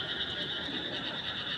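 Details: Short stretch of frogs calling at night, a constant, high-pitched buzzing trill from many animals at once, level and unbroken throughout.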